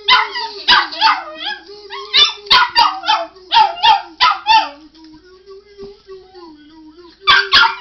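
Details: Dog set off by a man singing "you", answering with a fast run of about a dozen choppy barks and yips, then a pause where only his held, wavering note continues before more barks.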